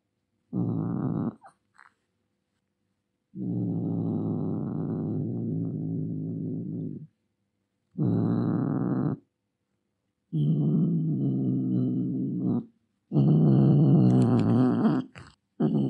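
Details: Angry domestic cat giving long, low, rumbling growls in five drawn-out bursts of one to four seconds each, separated by short silences, with a rough, harsh tone and no clear hiss.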